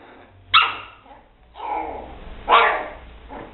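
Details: Lali, a 70-day-old female Toy Poodle puppy, barks while guarding her backpack: two sharp, high yapping barks about two seconds apart, with softer muffled sounds in between.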